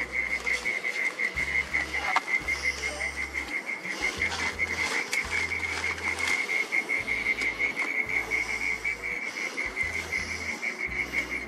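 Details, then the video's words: Mole cricket singing at twilight in a garden, hidden in its burrow: a loud, echoing, unbroken high trill held at one steady pitch, finely pulsed throughout, over faint background hiss. "Mole Cricket Song"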